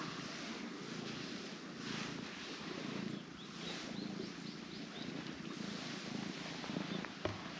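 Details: Orange tabby cat lying limp and relaxed on a person's lap, purring in a low, steady rumble with soft rhythmic swells; a few faint high chirps sound in the background.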